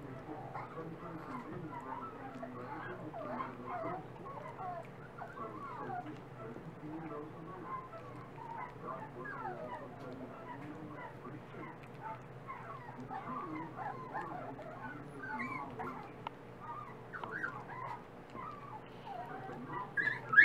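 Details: Dachshund puppies feeding, eating more each day; a busy overlapping chorus of thin, wavering whimpers and squeaks from several pups, steady throughout with a low hum underneath.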